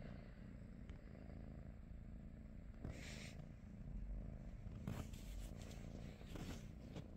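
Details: Domestic British Shorthair purring on a morning with its companions Pikachu, Teddy and Rosie: a soft steady rumble, broken by several scraping and rubbing noises in the second half.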